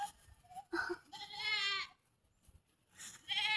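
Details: Goat being fed, giving a loud, wavering bleat lasting about a second with a shaky, quavering tone, after a short higher call; quiet pauses and faint background rustle around it.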